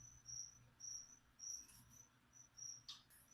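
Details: Cricket kept as live feeder insect for a pet leopard gecko, chirping in short high-pitched pulses repeated about every half second, over a low steady indoor hum.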